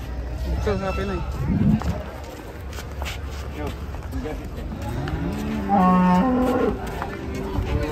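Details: Unruly cattle coming down off a truck in Indonesia: short lowing early on, then a loud, deep, sustained moo lasting nearly a second, with human voices and handling noise in the background.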